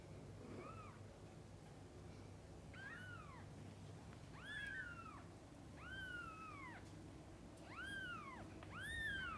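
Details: Mother cat with kittens indoors while feeding and bathing them: high, arched meows that rise then fall, about six across the clip, spaced one to two seconds apart over a low steady hum.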